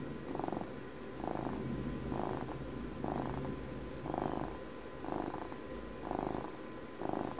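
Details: Twelve-year-old house cat in close ASMR recording, purring in soft rolling rumbles, about one pulse per second, each breath cycle audible above a low steady hum.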